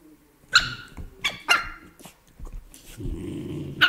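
A Beagle gives short, sharp barks in quick bursts with a low rumble between them.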